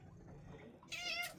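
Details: Domestic cat indoors on a sun porch in November, apparently wanting to go outside: one short, bright meow near the end after a quiet stretch.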